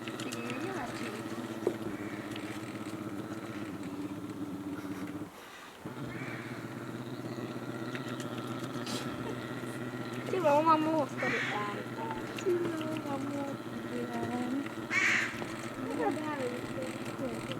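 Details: A brown bear at Ranua Wildlife Park, Finland, makes a low, steady, motor-like humming drone that wavers slightly in pitch, apparently while licking fish skin.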